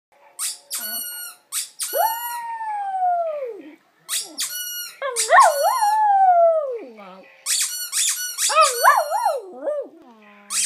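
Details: Brodie, a pet poodle, howling in long drawn-out tones that slide downward, with wavering, rising-and-falling howls later, alternating with bursts of high, sharp squeaking.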